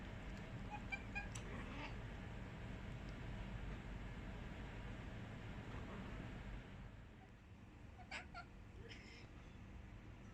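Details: Domestic cats chattering at birds on 4 July 2020: faint, brief clicking, chirp-like calls early on and again near the end, mostly buried under a constant low hum.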